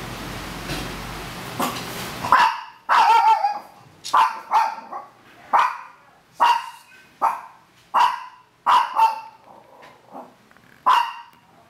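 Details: Maltese–Shih Tzu puppies in the Philippines, learning to walk for the first time; after two seconds of rough noise, about eleven short, squeaky, high-pitched yelps follow, spaced almost evenly roughly every 0.8 seconds.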